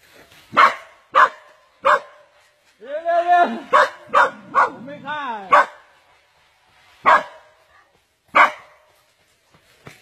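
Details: A dog caught and squeezed by a giant snake gives sharp, loud single barks at irregular intervals, about nine in ten seconds. Between them a short stretch of excited human voices is heard.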